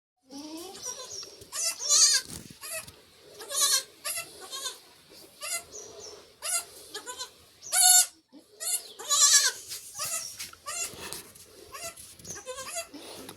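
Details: Newborn goat kids on a goat farm, four born to one mother in a single delivery about half an hour earlier; many high, wavering bleats in quick succession, some loud and quavering, with brief human murmurs between them.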